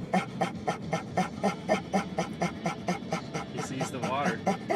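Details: An excited dog on a car ride, hoping to go to the dog park, panting rapidly and rhythmically about twice a second, with a brief high whine near the end while a person talks to it.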